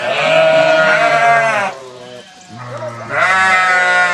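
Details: Sheep answering a farmer calling the flock: a loud, long, wavering bleat lasting over a second, a quieter pause, then another strong bleat begins.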